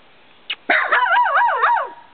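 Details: A nervous female puggle named Mocha, usually skittish and wary of the camera: one short yip, then a long, loud baying howl that swoops up and down in pitch in a rapid wavy pattern before fading.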